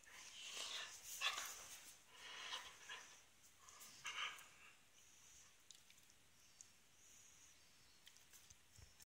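A Hungarian Vizsla gives a few high, sharp yelping calls, then falls mostly quiet.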